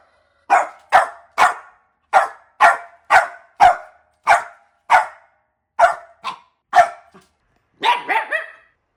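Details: Puppy barking in a steady series of about a dozen short, sharp barks, spaced roughly half a second apart with a few brief pauses, ending in a quick cluster of higher yelping barks; no other sounds.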